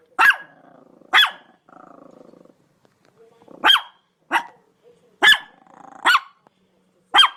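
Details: Dog barking in single sharp, bright barks with strong harmonics, spaced irregularly about one second apart; faint lower murmuring noise between some barks.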